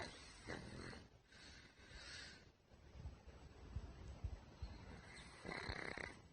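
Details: Pug named Puchi, ill with a thymic tumour after an earlier pulmonary edema diagnosis, snoring indoors: a few breathy, rasping broadband snores about two seconds apart, with quieter low rumbling breaths between them.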